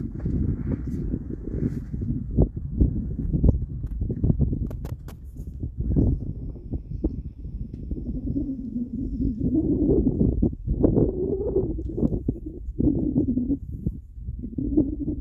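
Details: African buffalo in Tsavo East National Park, Kenya, giving low, rumbling grunts and drawn-out moans over a steady low background.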